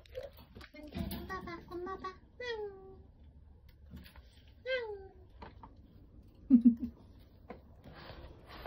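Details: Rescued kittens crying, among them one that fell into a dark sewer and others that cried for hours in bushes: a quick run of thin, high mews, each bending downward, then two or three separate mews later, over soft indoor handling noises.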